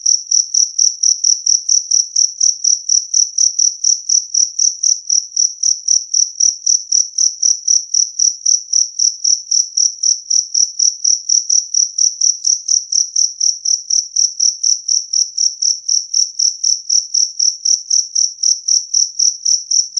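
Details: Continuous loud chirping by a two-spotted cricket, close to eighty sharp high-pitched pulses at a regular four-per-second rhythm, clear with no background sounds.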